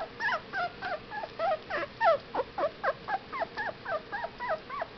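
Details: Fifteen-day-old Whippet puppies whimper in quick, wavering high squeals, each bending up then down, repeated about three to four times a second without a break.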